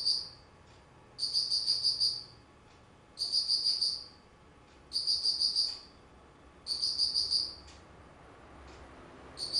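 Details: On 19 September 2009 in autumn, an insect repeats shrill pulsed chirps: five high, buzzy trills of rapid beats, each near a second long, spaced about two seconds apart over quiet background noise.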